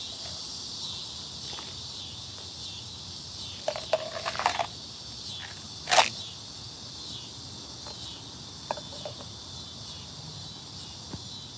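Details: Annual cicadas fill a hot summer evening with a steady, high, hissing chorus that never lets up, after rain broke the day's heat.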